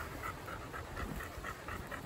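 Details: Chocolate Labrador Retriever named Bear on a sunny, windy Sunday morning walk, panting in quick rhythmic breaths about four per second, each a soft breathy puff, with steady wind rumble beneath.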